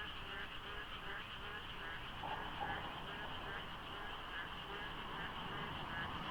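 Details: Frogs calling at dawn in the rainy season by the Deokso IC expressway interchange, light fog, little traffic. A dense chorus of overlapping croaks and rapidly repeated pulsing notes, many voices layered together over a low rumble.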